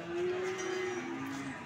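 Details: PO (Peranakan Ongole) cattle at the Sokaraja livestock market in Banyumas: a single steady, low moo lasting about one and a half seconds, sliding slightly downward near the end, over the faint hubbub of the market.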